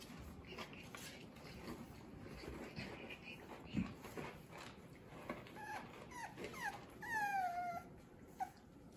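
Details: French Bulldog puppies, offspring of Fanya and Meena, playing indoors; faint scattered yips early, then a clearer run of high whining whimpers with falling pitch near the end over low room rumble.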